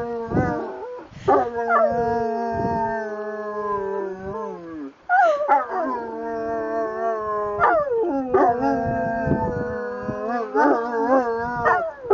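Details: Saint Bernards singing together: long wavering howls held for several seconds, a brief pause near five seconds, then fresh rising-and-falling howls with quick yips layered over them from more than one dog.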